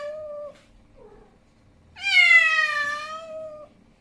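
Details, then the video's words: Indoors, an angry male cat gives a short steady meow, a faint low murmur, then one loud sustained wailing yowl that starts high and sinks gently over about a second and a half. "Angry Male Cat Sound"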